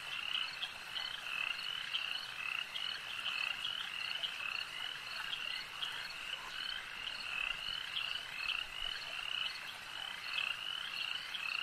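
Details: Frogs at a lake in full chorus: countless overlapping high, clicking croaks repeated rapidly and evenly, forming a loud continuous shimmer of calls.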